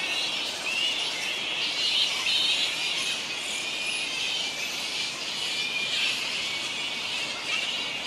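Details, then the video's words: Large colony of grey-headed flying foxes, fruit bats roosting on the NSW Mid North Coast, Australia; a dense, continuous wash of high squealing and chattering calls overlapping throughout, with no clear pauses. "Grey headed Flying Foxes (Pteropus poliocephalus) in large colony"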